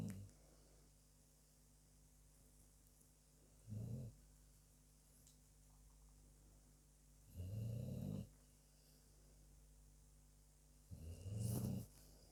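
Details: Sleeping dog snoring indoors: three low, rumbling snore breaths spaced about four seconds apart over a quiet background hum.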